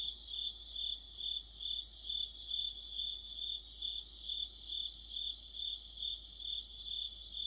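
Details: Crickets in an autumn insect chorus: a high, ringing, pulsating drone, rhythmically rising and falling, with scattered rapid higher chirps layered on top.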